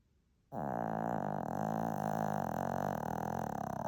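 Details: Sleeping Shih Tzu named Lacey gives one loud, sustained, buzzy snore that starts abruptly and drones on for over three seconds in a steady, rich rasp.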